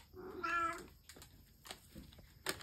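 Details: Indoor pet cat shown with a McDonald's cheeseburger, giving a single short, clear, tonal meow that rises then falls within half a second. Soft clicks and faint human speech follow.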